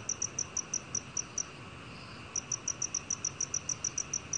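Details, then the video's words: Black cricket giving crisp high chirps, about seven in a row, then a near-silent pause of roughly a second before a faster string of about a dozen chirps, faint hiss behind. "검은귀뚜라미, 여러번 듣기, 곤충소리"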